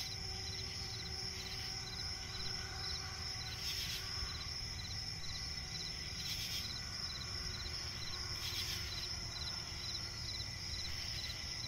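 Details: Crickets chirping at night in a swampy forest: a steady high insect chorus with rapid pulsed trills near the top of the range, periodic brighter bursts every two to three seconds, over a low background rumble.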